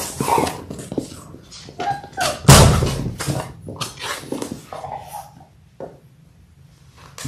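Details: Six-week-old Labrador Retriever puppies, a litter of six born January 18, 2022, on an indoor live puppy cam; brief high whining cries near the second and fifth seconds among thumps, shuffling and rustling in a small room.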